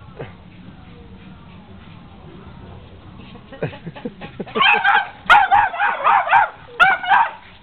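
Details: Playful dogs around whippet Nikita, with Sally and Beyonce, in Dearborn, Michigan, summer 2009: soft background voices, then a rising string of clicks giving way to loud, rapid, wavering barks and yelps.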